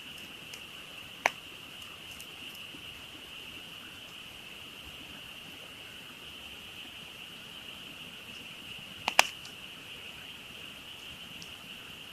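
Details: Night frog chorus heard from a campsite by a burning campfire, a steady shrill continuous hum with no pauses, broken by two sharp pops of crackling wood.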